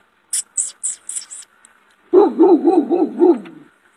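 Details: Shepherd dog barking loudly: a rapid run of about six low, harsh barks in quick succession, preceded by a series of sharp high-pitched clicks or scrapes.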